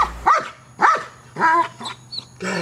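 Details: During KNPV-style bark training at a box, the dog Neros gives three loud barks about half a second apart, followed by a softer yip and a short spoken word.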